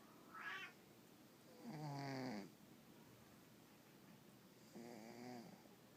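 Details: Elvis, a Russian Blue cat, snoring yet again while asleep: two drawn-out, low, rasping breaths with a buzzy harmonic texture, each lasting under a second, preceded by a short higher squeaky sound, in a quiet indoor room.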